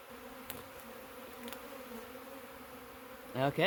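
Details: Massive honey bee swarm freshly taken in a swarm trap, issued from a wild colony in the woods: a continuous low humming drone of wings holds steady, with a few faint clicks and a short burst of human voice at the end.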